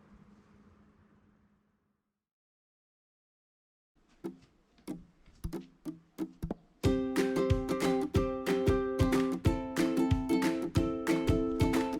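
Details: Soft low hum for the first second and a half, then silence, then plucked string music like a ukulele or guitar, starting with scattered notes and becoming steady strumming; no animal voice is heard.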